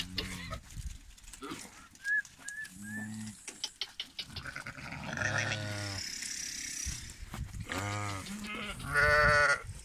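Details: Lambs bleating in short wavering bursts, some deep and some higher, separated by quiet gaps, with scattered clatter and rustling in between.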